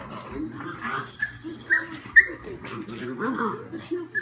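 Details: A very young pug on a playdate with two old pugs gives a run of low, snuffling grunts and snorts, broken by two quick high-pitched squeaks. Soft voices of people murmur in the background.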